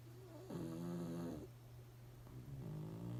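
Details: Sleeping pugs snore without noticing the camera: two drawn-out, throaty, harmonic snores with a slight wavering pitch, the first longer and louder, the second softer and shorter, over a faint constant low hum.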